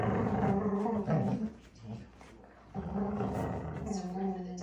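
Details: Two Alaskan Malamute puppies, Moose and Raven, playing tug of war: rumbling, harmonic growls in a long first burst, a quieter lull near the middle, then a second sustained growling stretch.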